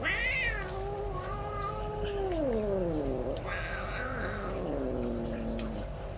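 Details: Angry kitten growling and meowing at lunch with grandma, guarding its food without sharing; long drawn-out wavering yowls that slide down in pitch, one after another, over a steady background hum.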